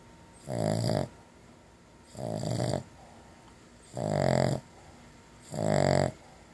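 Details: Pet dog napping indoors after chewing a bacon-flavoured long-lasting chew, snoring in four rough, harmonic-rich snores, each about half a second long, roughly every one and a half seconds, with faint hiss between breaths.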